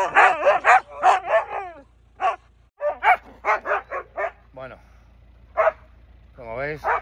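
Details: Three Siberian Huskies scold their owner on his return home after being left alone: a run of quick, wavering, yodel-like yelps and howls in bursts, a pause, then more drawn-out wobbling howls, with the owner talking.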